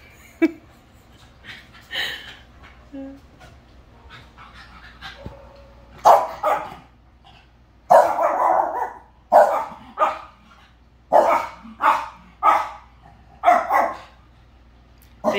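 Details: Pet dog, a Corgi among two dogs indoors, wrestling in play right after waking up: a series of loud, harsh barks and growly yips, sparse at first, then coming in bursts about once a second.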